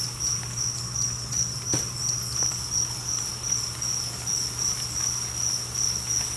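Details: Two-spotted crickets, about a thousand kept together in a cricket 'apartment' colony, produce a continuous shrill pulsing chirp chorus that swells and fades in a gentle rhythm, with a few faint clicks and a low background hum.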